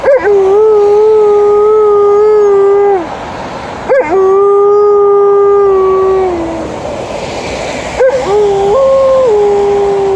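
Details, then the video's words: Alaskan Malamute named Liza howling in reply to passing ambulance and police car sirens: three drawn-out, level howls of about three seconds each, the first two tailing downward, the last stepping up in pitch midway. "Alaskan Malamute howling to the ambulance and then the police car"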